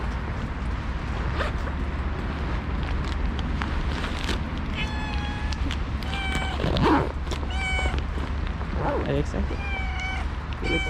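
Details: A female calico stray cat, fed outdoors after a snowy day, gives several loud, drawn-out tonal meows in the second half, mixed with a man's talking throughout and steady low background rumble.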